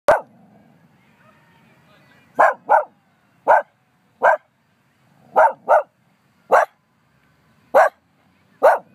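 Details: Pet dog in Humbolt Park barking at nothing in particular: about ten sharp, loud single barks, some in quick pairs, spaced irregularly over quiet park background with faint low rumble.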